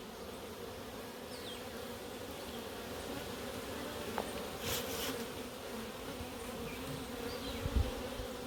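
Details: Colony of Africanized honey bees in Puerto Rico, hive opened for routine inspection; a thick continuous droning hum from the swarm, with occasional knocks and a brief rustle midway, someone nearby noting the queen's pheromone smell.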